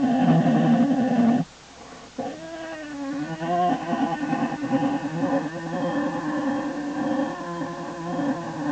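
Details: American black bear cub, likely Faith, in Lily's den on January 27, 2012, going from fussy to happy; loud moaning, harmonic cries at first, a brief pause, then wavering, bleating vocal sounds continuing steadily.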